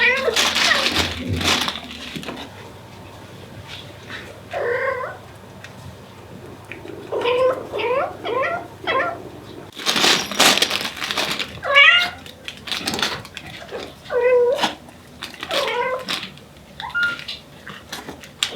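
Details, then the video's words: A Devon Rex queen calls her kittens with repeated short, bending meows, some in quick pairs or triplets, spaced a second or two apart between loud bursts of rustling and movement noise. "Incredible Mother Cat Calling For Her Kittens. Cat Sound Effect"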